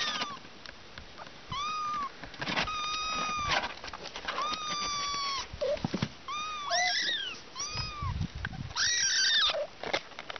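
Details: Little kittens meowing, several high, thin cries that rise then fall, some drawn out over a second, others short and overlapping, coming in quick bursts with brief gaps between them.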